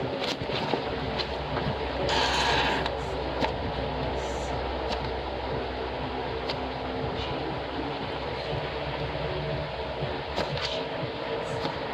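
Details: Steady broadband hum, like a fan or engine, fills the room, with a brief noisy burst near two seconds and scattered faint clicks; no animal voice is heard.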